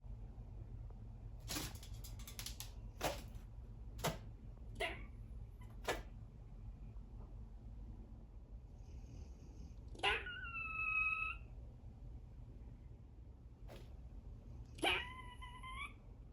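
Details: A baby squirrel makes its first warning alarm sounds after hearing a Cane Corso dog snoring: sharp clicks, then two short, harmonic squealing alarm calls over a low indoor hum.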